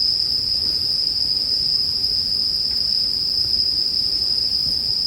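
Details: Chorus of bell crickets beside a crackling bonfire, made for sleep listening: one unbroken high shrill tone continuing evenly throughout, with a gentle low hiss of fire underneath and faint scattered ticks.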